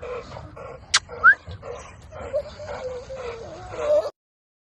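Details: American Bully dog around a first mating: high thin whimpers and yips, one sharp squeal, then a long wavering whine near the end, with a person talking.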